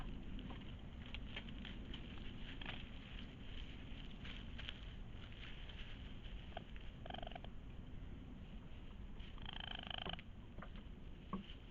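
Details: Raccoon making a soft little cry: a low, rapid purring churr running throughout, with a few brief higher squeaky harmonic notes near the end over a steady background hiss.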